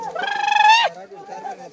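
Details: Sheep bleating while shepherds make the flock swim. A single loud, quavering bleat of roughly two-thirds of a second, trembling at the start and dropping sharply at the end, followed by fainter murmured voices.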